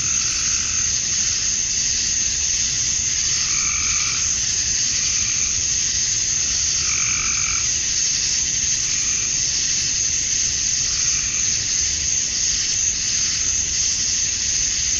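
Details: Dusk in Georgia, USA, in summer, with male cicadas buzzing to attract females: steady shrill drone throughout, while two short lower calls from another animal break through near four and seven seconds.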